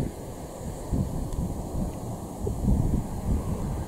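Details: Gusty wind buffets the microphone with a low rumble that rises and falls, and no animal calls are heard.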